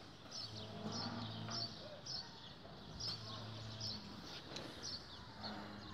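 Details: Damietta cattle at the Sirw research station near Faraskur, Damietta, Egypt, recorded 16 April 2017. There are three deep, humming moos, each lasting about a second, with small birds chirping repeatedly in the background.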